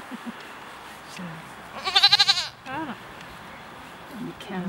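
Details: Cashmere goat bleating while being combed for its cashmere in March in Quebec: a loud, quavering bleat with rapid pulses near two seconds, a shorter falling cry after it, and people talking quietly throughout.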